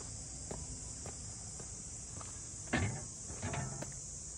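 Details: Among the Ine no Funaya port houses north of Kyoto, Japan, cicadas keep up a flat, continuous high buzz while footsteps thud regularly on the path, with a louder step or knock just before the three-second mark.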